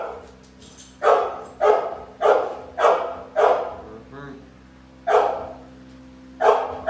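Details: American Bully Pitbull, one of a pair of large dogs, giving deep, harsh single barks, seven in all, spaced about half a second to over a second apart with a pause before the last two; quiet room hum beneath.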